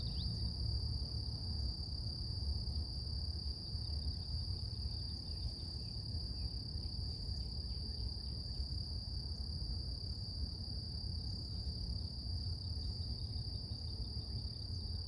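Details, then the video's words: Morning song of cicadas outdoors in nature, a continuous shrill whine holding one high pitch without pause, layered over steady low rumble and faint, brief chirping marks. "Relax With Cicadas Nature | Calming Insect Sounds ASMR"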